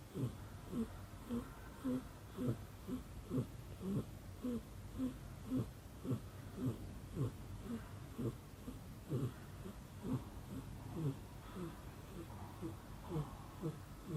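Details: Snoring mom cat with kitten Tomi asleep on her shoulder indoors: low breathy snores repeating roughly twice per second, slightly uneven in strength, with a faint room hum beneath.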